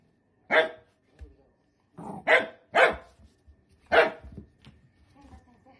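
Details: Sausage dog (dachshund) kept as a pet, giving four loud sharp barks with a couple of softer yips between, irregularly spaced over six seconds, light household noise behind.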